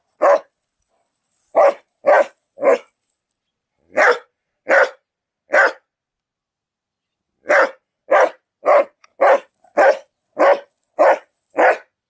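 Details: Dog barking in the owner's own recording: sharp broadband barks in irregular bursts, a cluster of four, two more, then a rapid run of about eight barks, with silent gaps between and no other sounds.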